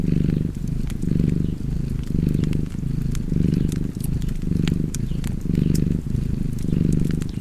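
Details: Relaxed cat purring by a fireplace, a continuous deep rumble swelling and fading in rhythmic breath cycles near one per second, accompanied by frequent crackling and popping of the fire.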